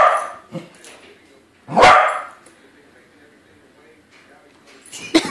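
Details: A corgi facing a balloon corgi gives one loud, harsh bark midway, then quiet. Faint human voices sit before it and a short noise near the end.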